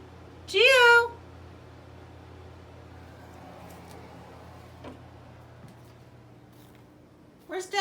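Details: Male house cat crying out while missing its owner: one loud, wavering meow that climbs and then drops, a quiet stretch with faint room noise and small knocks, then the start of another loud meow.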